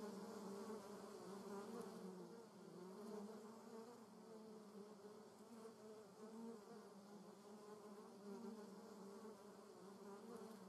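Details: German wasp flying in a garden, producing a low, wavering whir whose pitch drifts up and down as it manoeuvres, with soft background hiss.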